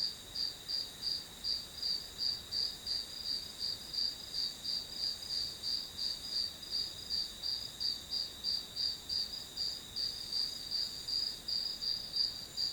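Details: Grass insect chorus used as study background noise: shrill high-pitched pulses repeating at a brisk, even pace, close to three per second, layered on a continuous faint high ringing.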